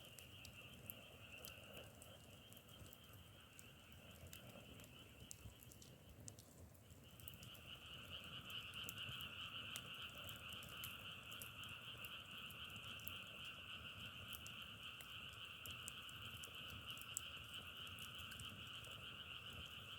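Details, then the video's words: Frog chorus, a continuous pulsing drone in two layered bands. It breaks off for a moment about a third of the way in, then resumes fuller and louder. Sharp clicks and crackles are scattered throughout. "자연의소리 장작타는소리=개구리소리"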